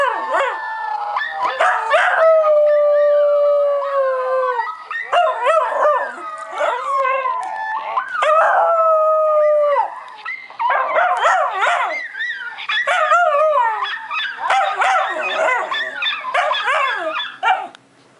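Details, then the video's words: Schnauzer named Max, a pet dog, gives long smooth howls that sag slowly in pitch, then breaks into fast warbling yelps and broken, stuttering howl fragments before trailing off. "Howling Schnauzer"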